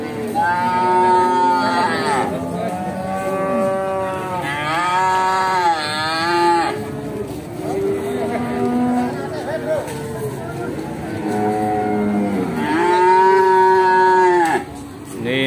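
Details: Pegon cattle at the busy Bekonang livestock market in Sukoharjo, Indonesia, a prized Pegon calf among them; loud, strongly harmonic moos repeat every few seconds, some rising then falling, with market chatter underneath.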